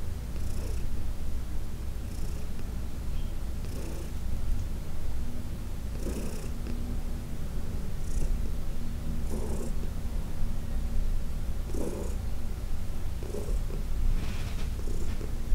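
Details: Heidi, an old cat rehomed from the Humane Society of New York City, keeps up a steady low purr while massaged on June 17, 2021, accompanied by periodic light brushing bursts every couple of seconds.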